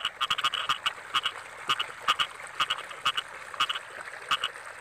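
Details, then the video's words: Rice field frogs in the rainy season give clipped, nasal croaks in rapid doubled and tripled bursts, a few per second, with more frogs calling behind and a constant faint high hiss. "Suara Kodok"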